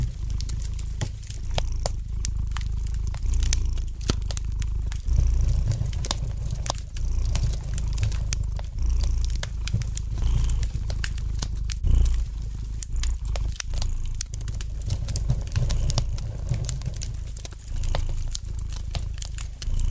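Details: Steady, soothing purr of a domestic cat resting near a crackling fire, a rich low rumble swelling in regular breath cycles for twenty seconds, with scattered sharp pops and sizzles from the fireplace.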